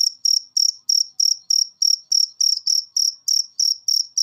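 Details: A cricket gives evenly spaced, piercing high chirps, roughly three per second, on a clean quiet background. The recording is meant to be played to cage birds to get them singing.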